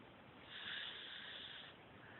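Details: A sleeping cat named Mimi snores, captured with an Android phone; a single airy, drawn-out breath rises gently, holds for just over a second, then fades into low steady room noise.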